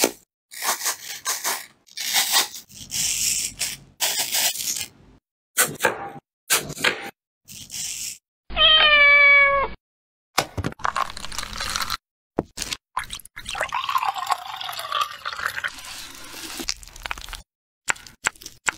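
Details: An angry domestic cat gives one loud, drawn-out harmonic meow lasting about a second, set among short choppy bursts of hissy, rustling and scuffling noise.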